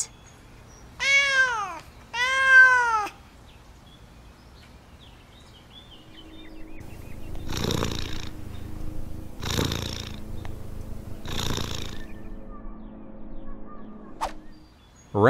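A domestic cat gives two clear, drawn-out meows that rise briefly and then slide downward.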